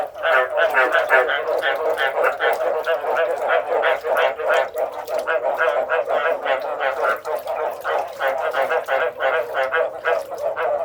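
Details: Frogs calling in a dense chorus: rapid, overlapping croaks pulse about three times a second without pause, with no other clear sounds.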